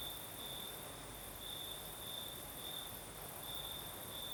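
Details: Crickets at night in the south of Crimea with a night breeze: a shrill sustained trill broken into brighter swells about every two seconds, over continuous airy hiss.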